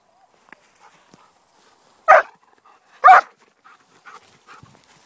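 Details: Female Irish Setter fooling around in the grass, searching for a ball lost a year earlier: two short, sharp barks about a second apart, followed by faint rustling and soft snuffling sounds outdoors.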